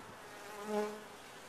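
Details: A single honey bee at a top-bar hive flies close by, its buzz swelling and fading within about a second, with clear stacked harmonic tones over a soft background hum of the colony.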